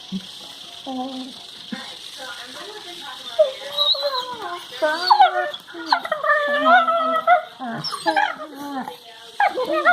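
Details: Two Labrador Retrievers playing together and flashing their teeth at each other, recorded February 23, 2019, give a run of bending, whining yowls that slide up and down in pitch.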